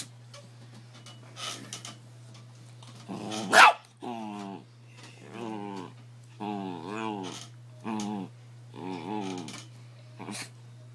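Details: Indoor pet dog teased by its owner, answering with drawn-out snarling growls in spaced bursts, one sharp loud bark early on, a steady low hum throughout.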